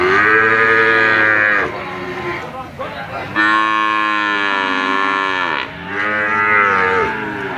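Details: Brahman and Limousin calves offered for sale, a chorus of loud bawling moos, one long high-pitched cry in the middle between lower, shorter calls.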